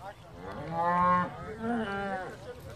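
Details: Hereford cattle, one of 11 cows with calves arriving by boat from Tåsinge on Skarø, Denmark, on 13 April 2016 to graze for the summer: two long harmonic moos, the second lower and softer.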